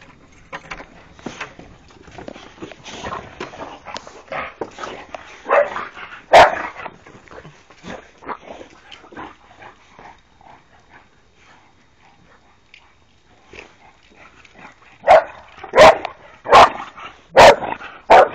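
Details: Three Boxer dogs playing: soft scattered grumbles and scuffles at first, then a series of loud, sharp barks spaced about a second apart toward the end.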